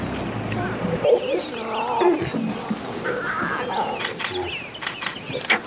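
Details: Lion cubs greeting their mother as she returns from hunting at a South African game lodge: a cluster of short high mewing and grunting calls, some wavering and rising, with a person speaking and vehicle rumble underneath.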